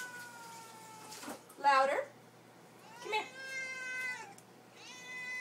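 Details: Pet cat named Lily meowing for supper indoors: drawn-out harmonic meows that slide downward, one at the start and a louder pair later, with a woman's voice urging her on between calls.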